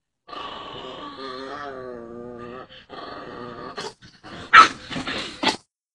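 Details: Chihuahua growling at a raised middle finger; a sustained tonal growling whine wavering in pitch for about three seconds, a shorter growl after, then several sharp barks near the end.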